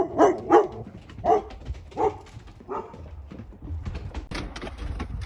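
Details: Shepsky puppies, one of a litter of nine, outdoors as thunder rolls and hail comes down; several short, bright yelping barks in quick succession, then quieter, with a low rumbling background of hail and weather noise.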